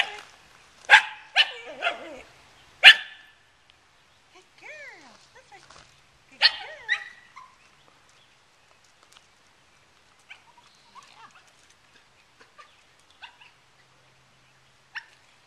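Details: Nine-week-old Welsh Terrier puppy, held on a lead while her sister is on the deck, gives four sharp, high barks in quick succession, then one more a few seconds later, followed by quiet with faint scattered ticks and rustles.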